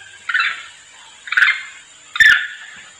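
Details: Monkey lure sound of a monkey calling its companions: three rough, hoarse calls about a second apart, each beginning with a sharp click-like attack, with a thin steady high-pitched hum behind.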